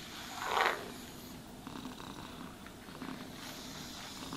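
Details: Pet cat purring during brushing and grooming, a continuous low buzzing rumble, opened by a short sharp scratchy brush stroke and followed by soft rustling.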